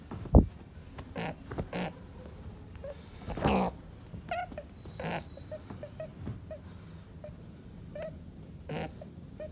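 An angry rabbit gives short, breathy grunts and soft snorts, broken by a few sharp thumps.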